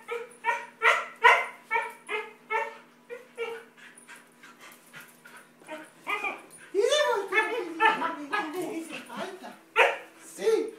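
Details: Aby, a Siberian Husky, welcomes her owner home after days apart. A quick run of about a dozen excited yips gives way to drawn-out, wavering howl-like whines, with a person's voice mixed in.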